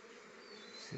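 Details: Honey bees collecting nectar from rhododendron flowers, making honey: a steady, quiet wing buzz with a hum band in the low-middle range, rising slightly in loudness near the end of the second.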